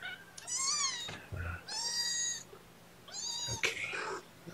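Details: Young kittens during a morning syringe feeding of formula, indoors. Three high, harmonic mews around 0.7, 2.0 and 3.6 seconds, each slightly rising then falling, with a faint hum underneath and a soft voice between calls.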